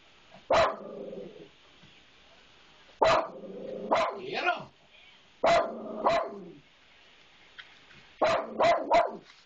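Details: Domestic dog, unusually aggressive, barking at a disliked maintenance man: loud, harsh barks in uneven bursts, singles and quick doubles, then a rapid triple near the end, with a person egging it on between barks.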